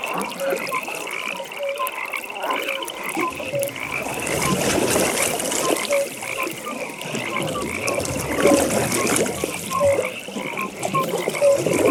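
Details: Frogs at a pond in a natural nighttime setting, a chorus of short croaks and trilled pulses at mid and higher pitch, repeated throughout, over soft splashing water and broad rustling ambience.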